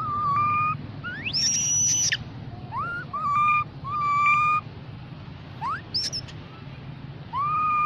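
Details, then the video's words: Young mona monkey calling the group with a rapid series of clear whistled notes, some sweeping steeply upward into high piercing squeals, others flat and sustained, separated by short gaps, against low background hum. "Baby Monkey Call The Group Mono Monkey"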